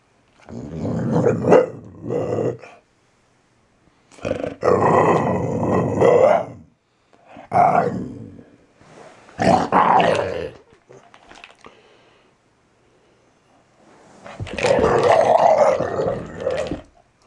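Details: Valley Bulldog Archie, a male just over three years old, growling and snarling while playing gently beside someone reading the newspaper in the morning; several rough, low growling bursts of one to two seconds separated by short pauses.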